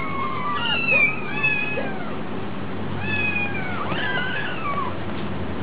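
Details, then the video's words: Hungry kittens at a cat cafe give two bursts of thin, falling meows, with several voices overlapping in each burst, separated by a brief lull over a low rumble. "Kitten so hungry"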